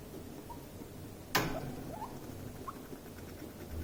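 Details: Stress squeaking during an escalating clash between two guinea pigs: a sharp click or knock, then brief rising squeaks before and after it, over a low room hum.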